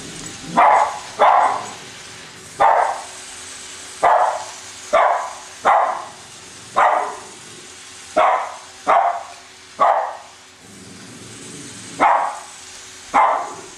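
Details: Two pet Cavalier King Charles Spaniels, Colby and Shelby, indoors chasing a new toy train around a Christmas tree; sharp mid-pitched barks come in pairs and singles, about ten spread across the stretch, with a faint mechanical hum beneath.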